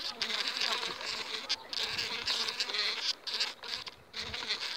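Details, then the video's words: Overwintered honey bee colony of five frames, filmed two weeks ahead of the acacia flow, giving a loud, bright, rasping drone that swells and dips in waves, with brief breaks. "Albinele cu două săptămâni înainte de salcâm"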